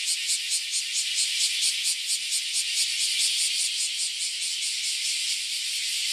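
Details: Cicadas swarming around a Japanese farm house: a loud, continuous high hissing drone, pulsing steadily about twice a second, filling the air with no other sounds standing out.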